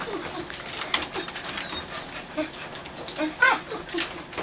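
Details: Whimpering squeaks from three-week-old puppies inside a dog show trailer: short high peeping cries repeated several times a second, a few dipping lower into whiny tones, amid bedding rustle.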